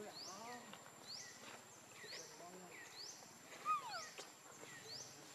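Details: A baby monkey called Leo cries for its mother's milk with arched, quavering whines repeated about every second, a sharper squeal near the end, and high rising chirps sounding steadily behind.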